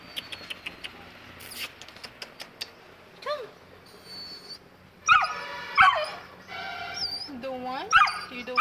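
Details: A frightened two-month-old Saint Bernard puppy at the stairs gives a soft rising whine, then bursts of yelps and wavering high whimpers; clicking taps and a woman's coaxing voice are also heard.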